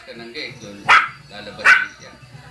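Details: Five-month-old male Shih Tzu being trained to jump: two sharp, short barks about 0.7 seconds apart over a person talking in the background.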